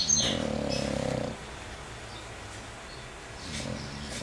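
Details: English Bulldog snoring heavily, one long buzzing, vibrating snore at the start that fades out, then quiet, with the start of another soft snore near the end.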